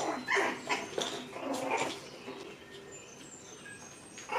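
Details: Rainy and Fancy's six-week-old puppies at play in their pen give a quick run of high, yappy barks and squeals in the first two seconds, then quieter scuffling with faint squeaks.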